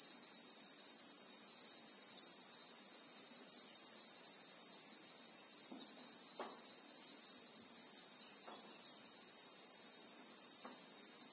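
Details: Christmas beetles (Anoplognathus) in South African acacia bushveld, recorded in real time, producing a continuous steady high shrill buzz, with a few faint distant clicks.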